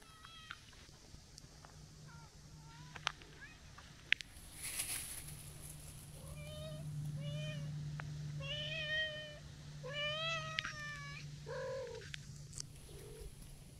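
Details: Stray tortoiseshell cat darts out meowing while an orange tabby is nearby: a run of drawn-out, wavering nyaa calls, about seven in quick succession, over a steady low hum and outdoor background.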